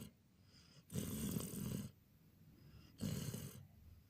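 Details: Jon, a Border Collie, snores while sleeping, recorded 14/04/2018: two long, rough, low breathy snores, each about a second, separated by quiet pauses in a small indoor room.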